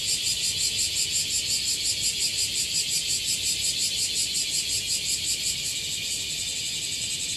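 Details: A chorus of bear cicadas gathered on a tree in Okinawa sings together in a dense, metallic buzz that throbs in rapid, even pulses several times a second. The shrill wall of sound stays steady throughout.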